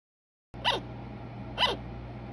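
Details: Sugar glider giving short, sharp yapping calls that sweep downward, repeated roughly once per second against a quiet background with a faint low hum.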